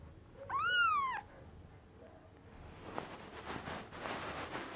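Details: Young cattery kitten gives one clear, drawn-out meow that rises then falls, bright and tonal with rich overtones, followed by quiet shuffling and background noise.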